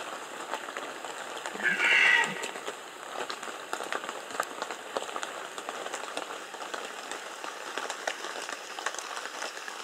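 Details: Red deer calling during the rut in Bieszczady, 2015: a single short, hoarse, harmonic bellow rises out of steady rain-like patter and fades within about a second, then only the pattering noise continues.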